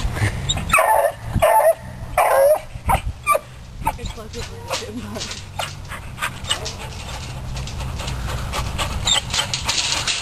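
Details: Beagle named Sport, a rabbit hunting dog, stirred up by a chipmunk in a trap; a few sharp, high whining yelps in the first three seconds give way to sniffing, panting and handling noise.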